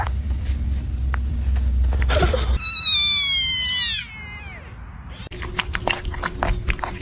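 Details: Domestic cat in a funny cat compilation giving one drawn-out meow of about one and a half seconds, clear and tonal and sliding downward, preceded by a short burst of noise and followed by quiet room sounds.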